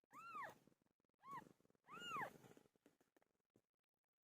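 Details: Three clear, bowed meows from Pilo, a pet cat that gave birth, each rising then dropping in pitch, the last one longest, followed by soft rustling.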